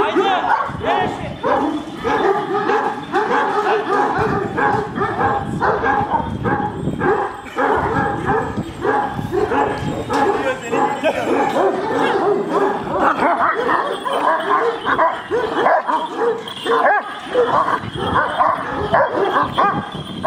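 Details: Big Kangal dogs, described as very aggressive, bark at each other in a long, dense chorus of overlapping harsh barks from several animals, with men's voices talking in Turkish mixed into the din.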